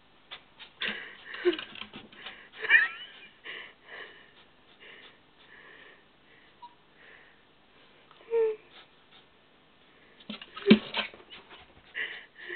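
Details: Dog named Nala desperately snorting and wheezing in a small room as she tries to reach a gerbil; rasping breaths and snuffles arrive in irregular bursts, with a brief whine-like note midway and a sharp loud snort near the end.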